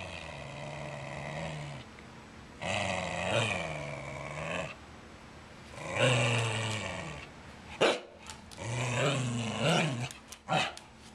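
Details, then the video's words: Brighton, a Wire Fox Terrier, grumbling and barking around a tennis ball held in his mouth while demanding to play ball; long throaty growling moans, rising and falling, broken by a few sharp muffled barks near the end. "4FB BarkMuffler"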